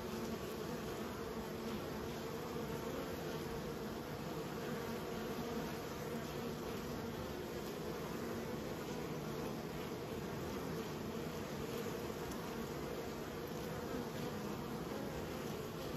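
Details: Steady collective buzz of raised honey bees, a thick humming drone with stable low pitch bands holding unbroken and even in loudness for sixteen seconds.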